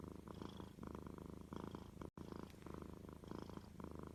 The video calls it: Cats purring. The most relaxing sound EVER.